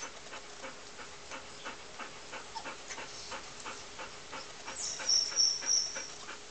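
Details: Puppies playing with a person in Puerto Rico, panting in quick, steady breaths about three per second, soft and airy, with a few thin high squeaks near the end.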